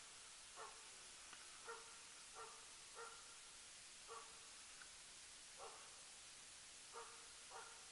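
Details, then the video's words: Jämthund named Rapp barking during loose-dog elk hunting in 2012, the season's tenth elk: distant, mid-pitched barks repeated about once a second, unevenly spaced, over a steady hiss of background noise. "Löshundsjakt med jämthunden Rapp"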